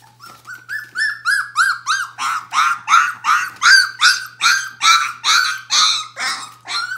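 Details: Bohemian Shepherd puppy of the F litter, nearly four weeks old, indoors: loud, regular whining yelps about two and a half per second, each an arched squeal with bright harmonics, close and clear over a faint hum.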